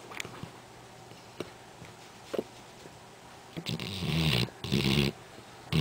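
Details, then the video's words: Duke, a black Labrador Retriever, snores very loudly while asleep. Quiet breathing fills the first half. Then rough, raspy snorts swell up in two bursts near the end, with a deep rumbling underneath and a final loud snort. "Duke, The Black Lab That Snores Really Loud"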